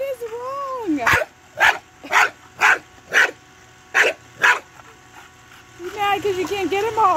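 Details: Bulldog chasing bubbles from a bubble machine lets out a string of seven quick, gruff barks about every half second, framed by a wavering whine and a woman's voice before and after.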